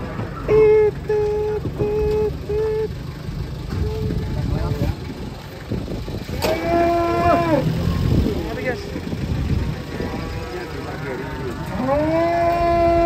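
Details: Giant cattle being unloaded from a truck in 2024 give repeated short low moos, then longer drawn-out bellows that fall and then level off, with people talking and a steady high whine in the background.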